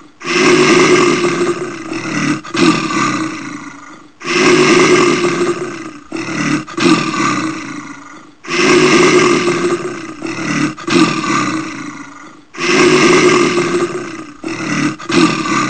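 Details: A brown bear (Ursus arctos) gives deep, rasping roars in bursts repeated about every four seconds.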